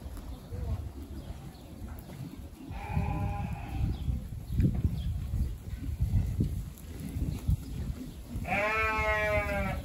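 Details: Dorper sheep on a farm, one faint short bleat early, then rumbling low noise and handling sounds, ending with a loud, strongly wavering bleat.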